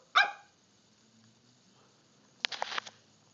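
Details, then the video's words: A Miniature Pinscher, scared of the annual Halloween pumpkin, barks at it with one sharp, high, ringing bark, followed by scuffling noises. "Miniature Pinscher scared of Halloween pumpkin"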